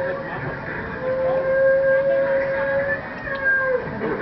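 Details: Humpback whales bubble-net feeding on herring north of Juneau, Alaska, on 1 August 2009, in a group of 12 to 14, heard by hydrophone under a nearby boat: a long, steady, trumpet-like underwater tone dropping slightly at the end.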